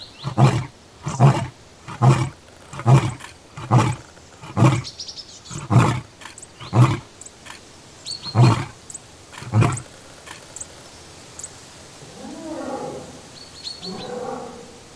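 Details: Lion roar ending in a long sequence of short, deep grunts repeated slightly faster than one per second, fading toward the end; a softer rising and falling vocal sound and faint high squeaks follow after the grunts stop.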